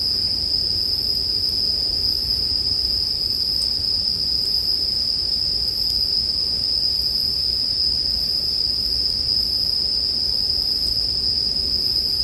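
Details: Bell crickets ringing as a soothing sleep track alongside a campfire. An unchanging shrill tone runs throughout at constant loudness, backed by gentle low rumble and sparse faint ticks.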